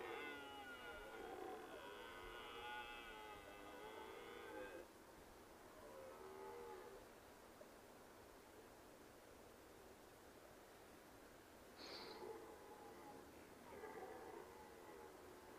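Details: Roaring red deer stag: a long, drawn-out tonal bellow with wavering, stacked harmonics lasting about five seconds, followed by shorter, fainter moaning calls and a brief higher note near the end, heard from a distance over steady background hiss.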